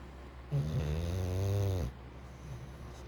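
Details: A sleeping English bulldog lets out one long, nasal, buzzing snore lasting over a second, starting abruptly and fading with a slight drop in pitch, then quiet breathing.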